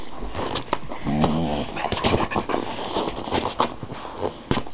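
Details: Addie, a female pet dog, making odd noises indoors: a short harmonic whining moan near the start, mixed with thumps, shuffling and a person's voice giving commands to sit.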